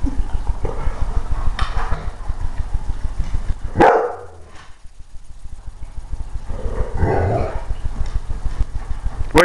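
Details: A young male Golden Retriever at Christmas gives a few deep, abrupt alarm barks at a new present under the tree that looks scary to him, with a person talking.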